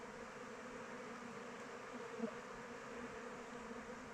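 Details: Honey bees buzz around their hive in open weather, a steady low drone, with one bee passing close near the middle to give a brief louder, slightly higher buzz.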